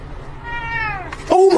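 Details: Cat gives one clear meow that rises slightly, then slides downward in pitch over about half a second. An abrupt louder, unrelated sound follows.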